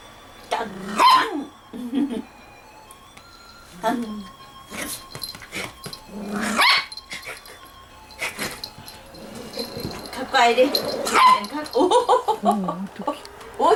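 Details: Toy Poodle playing indoors with its owner, giving short sharp yapping barks in scattered bursts, mixed with excited Korean speech and laughter and faint background music.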